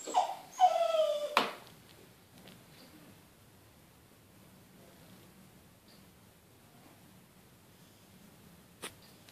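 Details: Ishot, a Smooth Fox Terrier, whines because he hears children playing outside and wants to join them. One drawn-out, tonal, wavering whimper of about a second sits over a sharp click, then near silence with faint room hiss.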